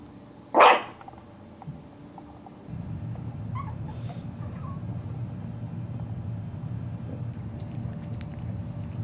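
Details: A four-week-old Cairn Terrier puppy from a litter of five lets out a single loud, sharp yelp-like bark, then faint squeaky noises over a low, steady background hum.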